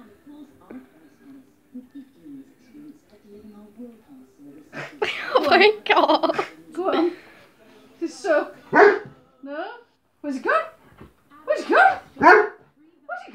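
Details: Alaskan Malamute going crazy for tissue, giving low moaning grumbles, then louder yowling, howl-like calls in uneven bursts, with a person's voice heard.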